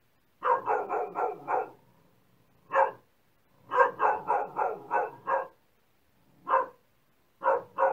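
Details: Dog giving quick volleys of four or five barks, split by single barks and short pauses. The barking is loud and even in tone throughout.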